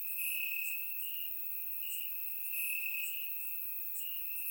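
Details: Nighttime crickets calling from the grass in Bulgaria on a warm summer evening, a continuous high shrill trill with slight pulsing, faint higher chirps flickering over it, captured by a surround microphone.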